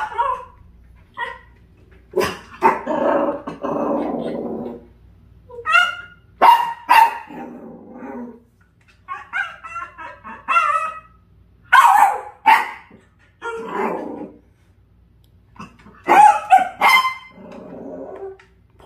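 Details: Dachshund reacting to a puppy caught by the air conditioner, giving a long irregular run of short barks and yips, some clipped and some with a whiny tone, with brief quiet gaps between bursts.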